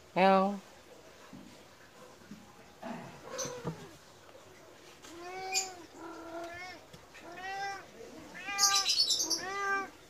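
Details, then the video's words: A medium Persian cat keeps meowing for food moments after a meal, as if cross; after a sharp opening sound, a run of five or six arched, wavering meows follows every second or so, with someone talking softly. "kucing meong meong meminta makan"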